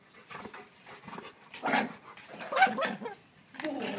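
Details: Alaskan Malamute; growl; aggression during a fight between dogs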